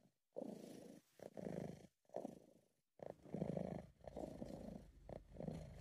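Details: British Shorthair cat purring while relaxed and happy, an amateur close recording: low rumbling purr in pulsed phases roughly every second, broken by brief silent gaps as the breath turns, steady and soft throughout.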